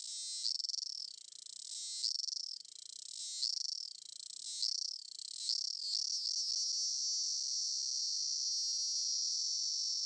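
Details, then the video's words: A cicada in Campinas, São Paulo, Brazil, recorded on 18 September 2016 at 08:18, sings in shrill, high buzzing bursts that quicken and merge into one steady, piercing drone. "Canto da cigarra (Hemiptera: Cicadidae)"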